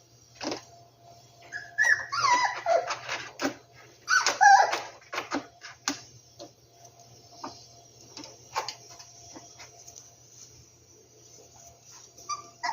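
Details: Rescued dogs in their hideout, whimpering and yipping indoors: a burst of high, wavering whines and short yelps between two and five seconds, then scattered soft whimpers and taps in a small quiet room.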